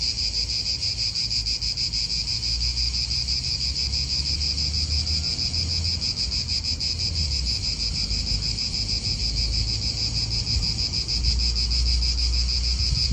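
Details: Cicadas in an Italian park, their dense shrill buzzing chorus steady and unbroken with a strong high band and a lower harmonic, pulsing faintly about three times a second; low wind rumble and distant traffic underneath.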